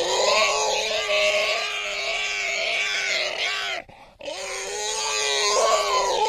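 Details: A wild boar being attacked by a leopard screams in loud, harsh, drawn-out squeals, breaking off briefly before resuming; Wild boar.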